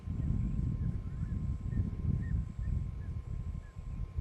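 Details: Deep continuous rumbling roar from the Shish Brothers lions, Casper the white lion among them, near Nsemani Dam, Kruger National Park, South Africa, with brief bird chirps and a thin, high insect buzz over the low growl.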